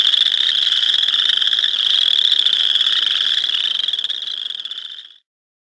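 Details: Boreal chorus frog giving one long, rapid, high-pitched pulsed trill, like a finger run along a comb. It holds steady for about five seconds, then stops abruptly, with a quiet background.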